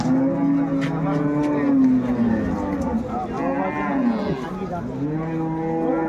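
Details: Dairy cattle, cows and calves, at the Ambari cattle market in Bangladesh on 21 May 2024: a long, low, droning moo that slowly falls, then shorter lowing calls, over steady crowd chatter and voices.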